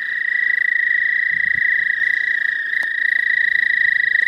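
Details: In spring in the southern half of the state, an American toad holds a long, steady, high trill without a break, with a faint low thump and a brief click partway through.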